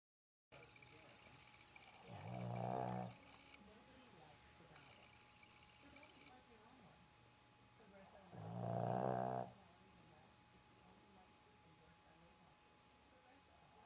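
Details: Roxy, a pet Boston Terrier, sleeping indoors in a home in Dallas, snoring: two loud, rough, harmonic snores about six seconds apart, each lasting roughly a second, with quiet room hiss between them.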